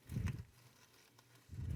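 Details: A tokay gecko, while being handled, gives two low, rough growling bursts separated by a brief pause.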